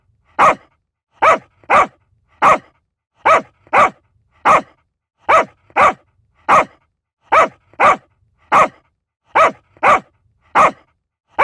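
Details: A long run of about eighteen quick, high-pitched barks from a small dog, delivered in a regular pattern of singles and paired yaps, clean and uninterrupted.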